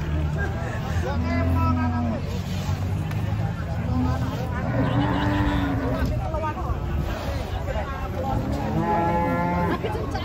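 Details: Agitated cattle being unloaded from a truck at a busy market in Indonesia, mooing repeatedly in arched harmonic calls over about ten seconds, mixed with people talking, shouts and vehicle rumble.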